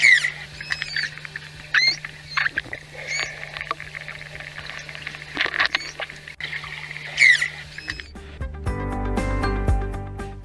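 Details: Manatees, social animals communicating by sound, give high, squeaky chirps that rise and fall, spaced a second or two apart.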